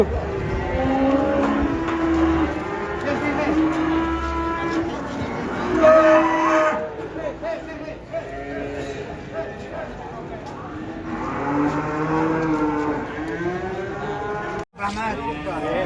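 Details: Cattle coming down from a truck, giving long, drawn-out harmonic moos that swell and fade one after another, with a low rumble of machinery beneath and a sudden brief cutout near the end.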